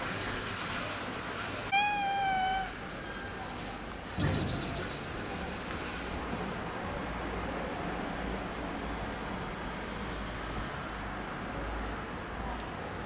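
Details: Domestic cat among Istanbul street cats living in a fenced safe zone with cat houses, fed daily: one clear, slightly falling meow lasting under a second, followed by a sharp clatter and steady outdoor background noise with a person's voice.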